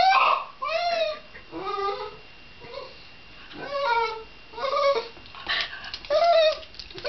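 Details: Shiba Inu whining in short, bent, cry-like notes that rise and sag in pitch. About six outbursts fall over several seconds, separated by brief pauses, with no other clear sounds around.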